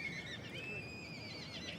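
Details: Welsh Cob yearling colt whinnying: a high, wavering, trembling call that holds steady and then quivers toward the end, heard over a low background rumble.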